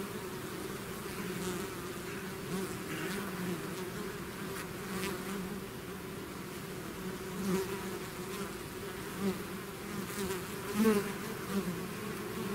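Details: A swarm of bees out of the hive drones continuously, low and dense, with several short louder buzzes from bees passing near, especially toward the end.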